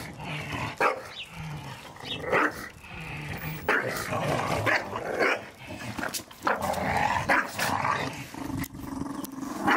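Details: Staffordshire Bull Terriers playing together in a garden, tearing apart a ball given at Christmas; continuous rough growls and snarls with short sharp yelps and bark-like bursts scattered throughout.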